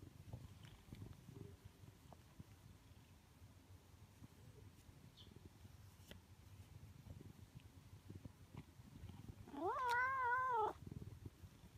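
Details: One of two stray orange tabby cats greeting a familiar person in a residential area. After quiet low rumbling, a single long, arched, harmonic-rich meow sounds near the end, rising, holding and then falling.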